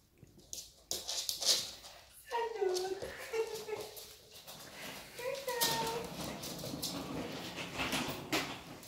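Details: Shiba Inu puppy named Yuki greeting its owner returning home after several days away, tail wagging wildly; high whining cries in repeated bends and glides, with a woman's excited speech and household noise throughout.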